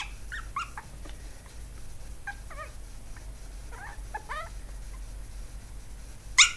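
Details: Chihuahua puppy named Swiffer, giving a string of short high whimpers and squeaks, several with downward-bending pitch, spread over the whole stretch, ending with a sharp click or bump; steady low hum underneath.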